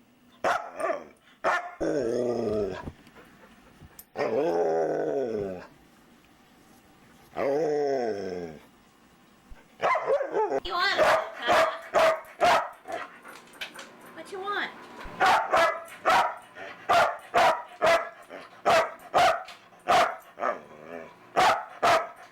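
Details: Talkative foster dog indoors after the mailman came, first three drawn-out falling howl-like moans, then a rapid irregular series of short sharp barks, roughly two per second, with background music.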